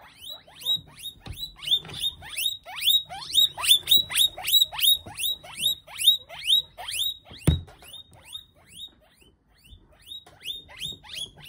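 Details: Guinea pig being eaten after being thrown to a monitor lizard, giving loud, shrill squeals that swoop downward, about two per second, with a brief thump midway and softer calls toward the end.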